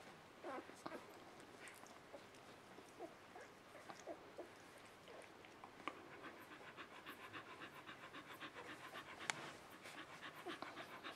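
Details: Three-day-old puppies from the Mattie and Bodie litter give faint, scattered high squeaks and soft whimpers amid steady clicking, snuffling and rustling at close range.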